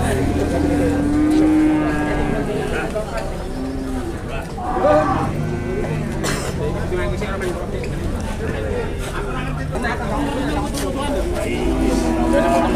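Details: Cattle lowing at a cattle trade in Klaten, Indonesia, while a price is bargained: several long, deep moos, one early and more later, under steady crowd chatter and male voices.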